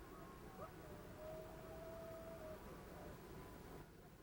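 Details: Coyote (Canis latrans) flat howl: a howl of steady, constant pitch held for over a second, which may taper off slightly at the end.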